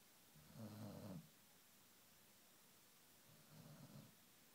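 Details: Ben, a Great Pyrenees puppy asleep indoors, snores noisily because he can't breathe easily through his nose: two low, raspy, rattling snores about three seconds apart, the first louder and longer, with quiet hiss between.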